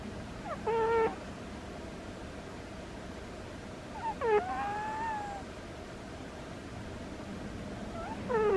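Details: Sleeping house cat Butters snoring with thin squeaks, three brief tonal squeals, one drawn into a longer rising whine, spaced about four seconds apart like breaths, against quiet indoor background hiss.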